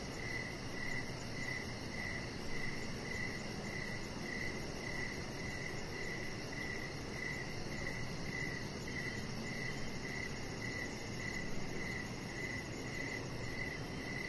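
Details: Outdoor evening cricket chorus near a deck: regular brief chirps at an even pace throughout, a fainter fast ticking above them, and continuous low hiss underneath.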